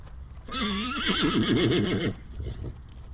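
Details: A horse whinnies for about one and a half seconds, a strong quavering neigh with fast pitch wobbles sliding lower, then quiet low rumble.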